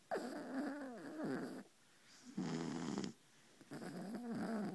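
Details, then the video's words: A sleeping mother Beagle and her puppy snore on a pillow beside an ear; three drawn-out, gurgling, rattly snores, each lasting about a second, with short quiet breaths between them. "Mama and Baby Beagle Snoring"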